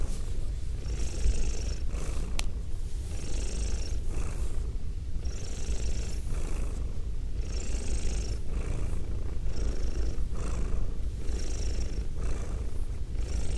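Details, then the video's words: Pet female cat with a goatee purring into binaural microphones; low constant rumble overlaid by rhythmic breathy surges about every two seconds, with one brief sharp click early on. "ASMR Cat Sounds - Soft-Spoken, Purring, Licking, Petting"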